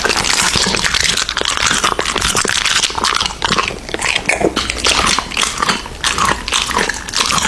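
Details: American Bully dog chewing raw meat, bright crunchy bites and sticky mastication in quick clusters separated by short pauses.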